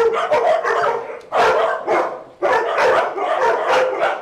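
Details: Several dogs, including a Dachshund mix, playing together at a dog day care, giving dense overlapping barks and yips, with louder bursts around the middle and near the end.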